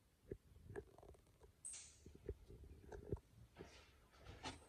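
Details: Indoors, the British Shorthair cat Simba chews on a chicken drumstick, giving irregular low thumping crunches and soft clicks, with one brief higher hiss midway.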